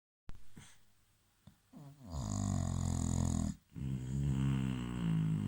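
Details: An English Bulldog snores indoors: a soft breath, then a long rasping, rattling snore that swells and stops briefly before another begins.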